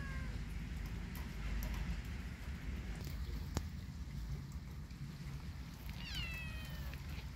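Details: In a rainy yard, a kitten utters a faint falling mew at the start. Later it gives a louder, bending meow, heard against continuous low-pitched background noise.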